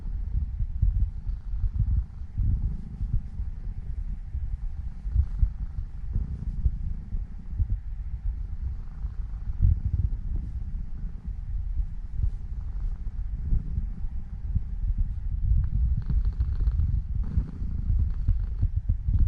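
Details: Seven-year-old female Norwegian Forest Cat Elf kneading and drifting off to sleep, her purr a long unbroken low rumble with rhythmic pulses, faint higher rustles late on.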